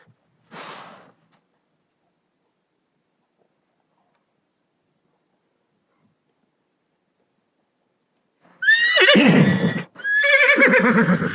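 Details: Horse whinnying after a brief faint rustle and about eight seconds of silence: two loud, shaky neighs in quick succession, the first sliding downward, the second harsher with a tremulous, bleating quality.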